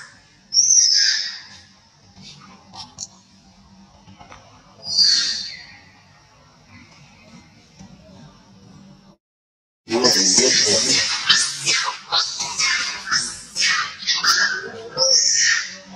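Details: Old monkey crying out loudly in pain: two piercing, high-pitched squeals early on, a quiet stretch, then a dense run of shrill, overlapping screams.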